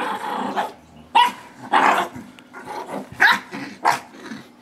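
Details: Indoors, a blue Doberman puppy of 9 months and a 6-pound Shih Tzu Yorkie mix tussle over a rope in tug-of-war. Harsh growling gives way to sharp, loud barks or yelps, about five punchy bursts spaced under a second apart.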